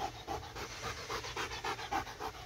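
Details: Panting from a dog chasing a laser pointer: airy, rhythmic huffs, roughly nine across two and a half seconds, rising and falling slightly in strength.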